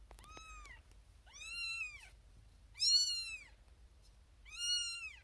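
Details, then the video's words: Tiny firstborn kitten Xena Thumbalina, a female born April 1st, 2021, keeps crying for attention from her owner in a birthing box beside six littermates; four piercing meows about one and a half seconds apart, the third loudest. "SMALLEST Kitten BIGGEST Meow"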